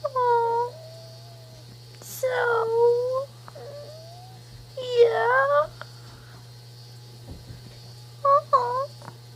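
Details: Pet prairie dog named Zoey making soft tired sounds indoors: a few short whiny, whimpering calls with falling then level tones, in bursts of two or three separated by quiet pauses, over a steady low hum.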